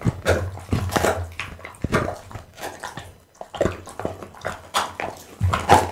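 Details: A pet pit bull eats raw food indoors, including boiled loach, tuna, beef kidney, lamb spine and horse meat. Close, wet crunching and smacking chews come in uneven bursts, with short quiet pauses.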